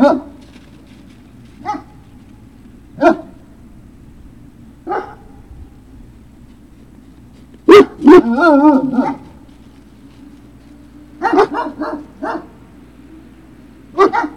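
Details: Great Dane puppies, Puppy Hill, 03-06-2019: isolated short barks every second or two, then a sudden loud yelp sliding into a wavering whine, and a final run of quick barks over a low background drone.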